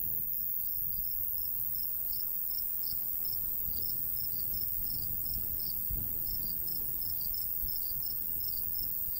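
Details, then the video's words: Summertime crickets calling beside a golden wheat field in the countryside: thin, high-pitched chirps in irregular clusters, partly overlapping, set against a soft, continuous breeze. "Countryside/cricket sounds"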